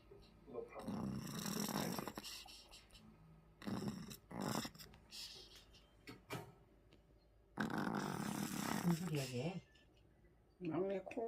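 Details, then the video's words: A large pet dog asleep at home snores in long breathy, rasping bursts of about two seconds, separated by quiet pauses, with a few short snorts; a woman's voice speaks briefly near the end. "우리집 대형견 코골이"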